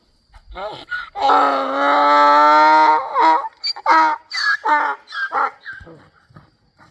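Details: A donkey at Krvavec, Slovenia brays, a long tonal wail breaking into a string of short, rasping hee-haw gasps.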